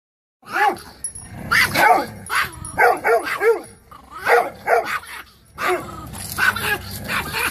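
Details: Female Chihuahua described as fearless, acting as an attack dog regardless of size; shrill, yappy barks in quick bunches of two or three, roughly a dozen in all, with a person talking.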